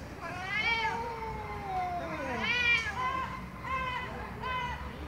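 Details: Angry cat meowing loudly and repeatedly: a long descending meow, a second swooping cry, then two shorter arched meows in quick succession, over low background noise.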